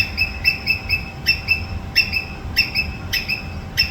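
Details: Rhythmic squirrel screeching: short high notes, mostly in pairs, roughly every half second, with a slightly ringing tone. A faint steady hum and low rumble lie underneath.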